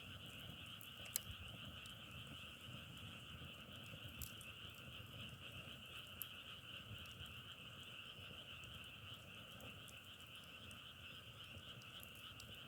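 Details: Frogs heard on a nature trip in Korea, their calls likened to the sound of crackling firewood: a faint, continuous massed chorus of steady high trilling, with scattered sharp clicks over a low rural background rumble.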